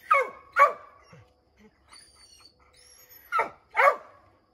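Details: Redbone Coonhounds Bo, Luke, Lulu, Cooter and Jesse treeing a chipmunk in an oak tree: two sharp barks, a pause with faint high whistled tones, then two more loud barks.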